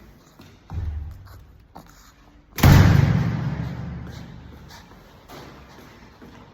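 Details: Indoor thumps and a loud slam with a lingering rumble, plus faint murmured speech; no dog vocalisation is heard.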